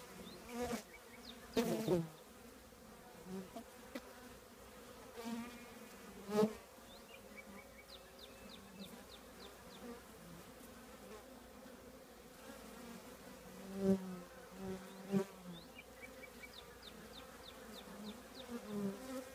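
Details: Low humming of a honey bee colony inside an old trash can, with repeated louder buzzes as single bees fly close, several clicks and knocks, and rapid high bird trills in the distance.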